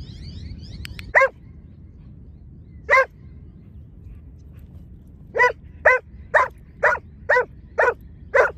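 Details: A Giant Schnauzer at lure training gives two spaced barks, then a quick regular burst of seven sharp barks in the last three seconds. Two dogs take part in the session.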